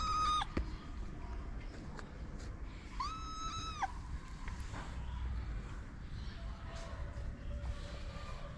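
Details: Homeless street kitten in Morocco, fed daily and now climbing onto a lap, lets out two clear, drawn-out meows, a short one at the start and a longer one a few seconds later, against a low background rumble.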